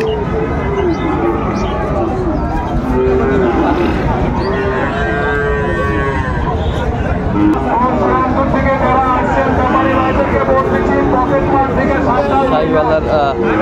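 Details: Lowing from many cattle fills a marketplace where a Chattogram farmer buys a Sahiwal bull calf, 19 December 2024. Repeated harmonic moos rise and fall across the stretch amid people haggling, a dense crowd and passing vehicles.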